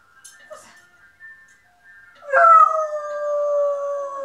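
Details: Saluki cross German Shepherd dog howling at an ice cream van: faint tonal chime notes, then a loud sustained howl starting abruptly and holding a slightly falling, harmonic-rich tone to the end.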